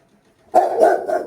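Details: Angry Rottweiler launching into a quick run of three rough barks that merge together after a brief silence.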